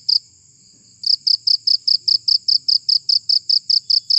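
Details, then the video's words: Cricket chirping aimed at scaring off rats: one high pulse, a short silent pause, then a run of bright, evenly spaced chirps repeating about four per second over faint low background noise. "Suara Jangkrik Pengusir Tikus"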